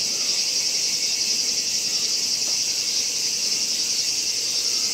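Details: At Gongenyama Bird Sanctuary, Japan, on 11 August 2017, a Kaempfer cicada gives a steady, high, hissing drone that runs on without a break, while squaring off with a horsefly.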